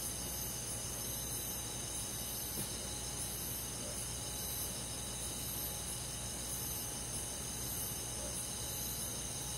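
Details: Crickets with other forest insects calling through a summer night, an unbroken shrill trill with rhythmic soft pulses, backed by a faint steady drone and hiss.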